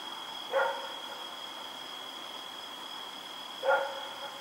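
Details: Night recording of Rex the dog running around, October 7, 2018: two single sharp barks roughly three seconds apart against a steady high whine.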